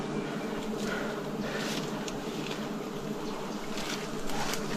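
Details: Wild bees during a forest honey harvest in 2026, a steady low droning hum holding without pause, overlaid with soft broadband rustles and brushing noises from the harvest work.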